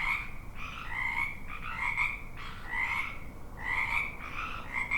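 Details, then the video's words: Frogs in full chorus, pulsed croaking bursts about once a second, several callers overlapping and answering one another over low background noise. "Frogs ambience"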